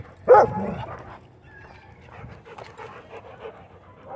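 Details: Dog at a dog park during rope play; one loud, sharp bark near the start, followed by faint whimpering and soft scuffling sounds.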